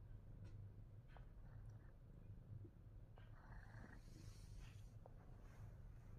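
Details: Fat Boy the Himalayan Persian cat purrs in a low continuous rumble, with light clicks and a short faint tonal squeak near the middle.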